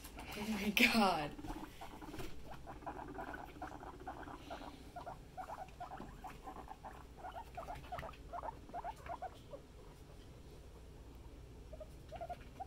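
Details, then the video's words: Pet guinea pigs in a family group: a burst of human voice at the start, then a long run of short, soft, clicking chut sounds at about two and a half per second, slowly fading. "Happy Guinea Pig Family"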